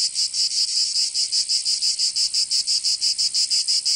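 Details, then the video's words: Cicadas singing in summer in Provence, southern France: a loud, high, rasping buzz broken into steady pulses about three times per second, continuous throughout with nothing else audible. "Canto Cigarra 🦗 [ Escuchar les cigarras en verano 10 H]"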